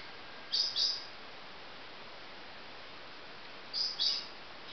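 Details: High-pitched paired chirps from baby marmosets, two quick notes close together, repeated once about three seconds later against a low, even hiss.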